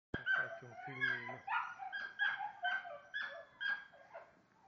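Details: A Lagotto Romagnolo in Osteria Grande gives a quick run of high, yelping barks, about two each second.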